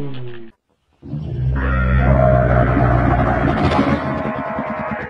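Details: Camel call: a short low note, a one-second pause, then a long rumbling, rapidly pulsed gurgle with a raspy upper layer that fades toward the end.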